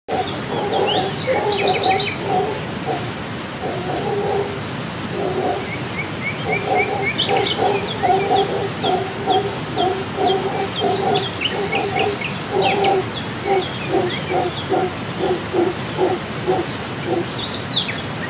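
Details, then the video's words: Howler monkeys at morning camp in the rainforest of Costa Rica, a chorus of low, rough roaring howls pulsing in bursts throughout, with chirping birds and whistles above. "Waking up to Howler Monkeys while camping out in the rainforest of Costa Rica"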